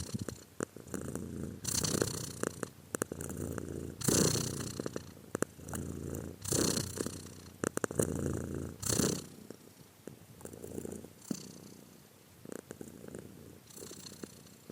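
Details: Cat purring steadily in long rumbling surges roughly every two to three seconds, low and breathy, fading quieter toward the end with small handling clicks.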